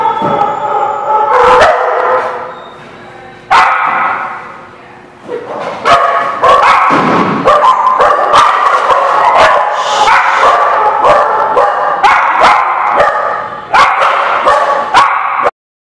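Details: Several dogs barking and yipping almost without pause on 9 September 2016, rapid irregular barks piling over one another, with a brief lull near the start before the chorus resumes and stops abruptly.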